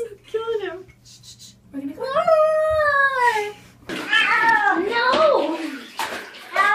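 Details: Domestic cat objecting to bath time: a series of loud, complaining meows and caterwauls, some long and bending downward, others short and sharp, while a person talks soothingly in a small indoor room.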